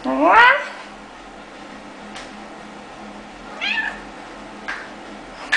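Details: About ten-month-old male orange tabby cat, a found stray awaiting adoption in Kansas City, Missouri, affectionate lap cat indoors: one loud rising meow at the start, a softer shorter meow near four seconds, steady room hum, a person's voice nearby.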